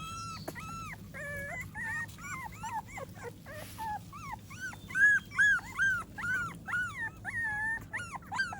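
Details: American Pit Bull Terrier puppies after their morning meal, bellies full, kept at home: a run of high, arching whines and whimpers, each rising then falling, about two or three per second, overlapping from several pups, over a low background hum.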